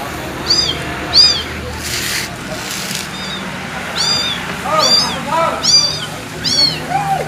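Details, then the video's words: Abandoned kitten meowing loudly and insistently, its bright, high, down-curving cries repeating roughly every second, with a short burst of broadband noise between them and a faint low hum underneath. "Suara anak kucing dibuang, Kasihan!"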